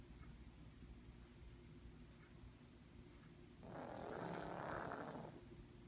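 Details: Holly, a pet cat with bad sinus issues, sleeping comfortably indoors and snoring loudly: after quiet room hiss, one long, rasping, breathy snore lasts nearly two seconds.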